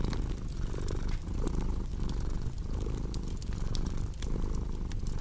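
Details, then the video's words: Cozy crackling fireplace with a purring cat for sleep: a strong, deep, even purr with rhythmic inhale-exhale swells near one second apart, accompanied by sharp intermittent crackles and snaps of fire. "Purring Cat with Cozy Crackling Fireplace Sound"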